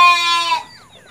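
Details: Motherless goat kid being hand-reared with bottled milk; a single loud, bright bleat lasting half a second that cuts off sharply, leaving a quiet tail of faint distant sounds.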